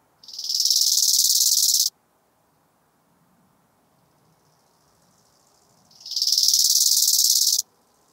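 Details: Bow-winged grasshopper, Chorthippus biguttulus, recorded in Hanfeld, Germany on 19 September 2021: two loud rasping phrases, each about 1.7 seconds long, swelling quickly and pulsing rapidly, separated by a four-second pause.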